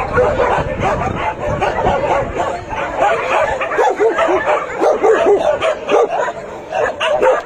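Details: Crowd of shelter dogs welcoming visitors: rapid, overlapping barks in bursts, several clear arched yelping barks standing out in the second half, steady din throughout, with occasional human speech mixed in.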